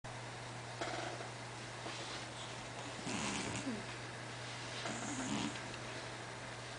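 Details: Martin, a pet cat nicknamed the cat-seal, purring: a steady low drone runs throughout, broken by louder breathy snorting bursts near three and five seconds.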